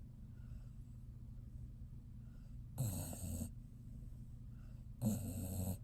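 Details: Resting dog snoring: two loud, rasping snore bursts about two seconds apart, each lasting under a second, over a steady low hum in a quiet room.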